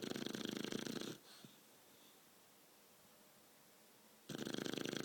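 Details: Twelve-week-old Shar Pei puppy asleep after a long walk, snoring: a rasping, pulsing snore of about one second at the start, a quiet gap, then another rough buzzing snore near the end.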